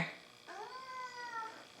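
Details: Pet cat at home, described as angry at its owner for spraying and killing bugs outside, gives one long drawn-out meow that rises slightly then slowly falls, with a quiet indoor background.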